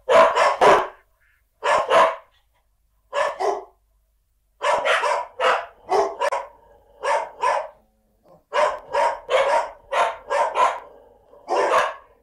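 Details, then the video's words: Farm dog barking in sharp, loud single and double barks, grouped in bursts with short silent gaps between them, over about twelve seconds. No other sounds are heard. "Farm dog barking"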